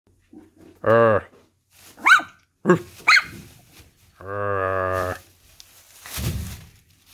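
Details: Miniature Schnauzer puppy barking back at its owner indoors: short, high, sharp yaps between the owner's deep, drawn-out spoken imitations of a bark.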